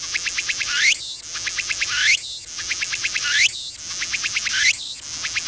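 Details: A Tsukutsukuboshi cicada sings slowly from a seaside tree in autumn, when the weather is barely warm enough for short sleeves. Each repeating phrase has a rapid series of pulsed notes, then a high rising sweep that ends in a loud buzzing burst, about every 1.4 seconds.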